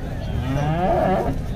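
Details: Holstein Friesian cow at a Sangola cow market in Maharashtra gives a short, harmonic moo that swells then holds steady, with busy market voices and a low background rumble throughout.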